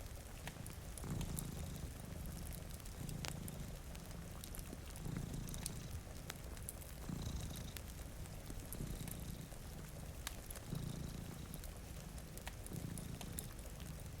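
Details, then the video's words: Sleeping cats at a rain-streaked window purr in slow, regular rumbling cycles about every two seconds, accompanied by crackling firewood and a constant background of falling rain. "Purring Cat"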